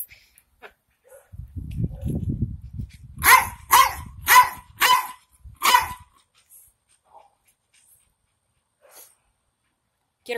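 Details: Jack Russell Terrier, one of two pets kept together, gives a run of five sharp, loud barks spaced about half a second apart after low rumbling handling noise; a few faint clicks follow in quiet.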